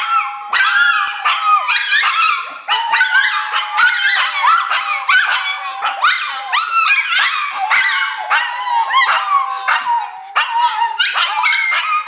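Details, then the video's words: Two Shih Tzus and a Papillon howl excitedly together as their owner gets home from work, with drawn-out wavering cries mixed with sharp yips and barks; the black-and-white one sounds like a squeaky toy. "2 Cute Shih Tzu Howling with Papillon"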